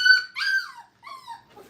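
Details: Five-week-old Brittany puppies at a training kennel, playing: a high, whistled whimper, then a longer falling whine and a softer drawn-out whine, closing on a faint low yip, all within two seconds.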